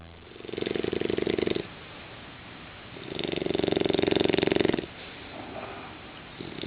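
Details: A 6-month-old English Bulldog puppy snores in long, rough, buzzing breaths with quiet pauses between them.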